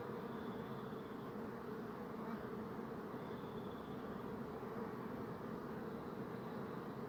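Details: A steady low hum from many bees, with faint thin high tones appearing twice in the background.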